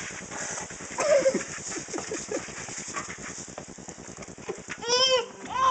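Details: Domestic piglet wallowing and being sprayed with alternating water jets before a warm bath; rapid pattering splashes run throughout, broken by a brief squeal near the start and a louder harmonic squeal near the end.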